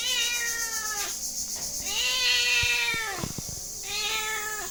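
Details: Cat meows in a row, three long tonal cries that bend downward at the end, with a brief clicking burst between the second and third and a constant high background hiss.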